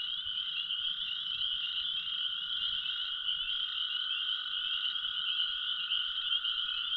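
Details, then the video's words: Toads trilling at about 7:45 PM on 15 April 2023, beside a new pond by an old sand pit after a very warm day of 27–28 degrees, during the evening spring chorus: a steady, high, unbroken buzz swelling in loudness. "it sounds like the toads are starting to trill more loudly"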